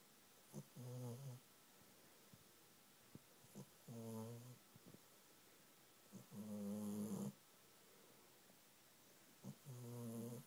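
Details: A pet cat asleep on its owner's knee, snoring loudly. Low, buzzing, one-second snores come about every three seconds, each with a steady rattling tone, and the room is quiet between them.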